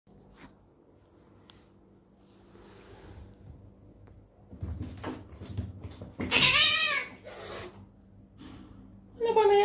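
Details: Adopted cat fighting out of jealousy: after low hum and faint rustling, a loud, drawn-out, wavering yowl of about a second, then the start of another sharp cry at the end.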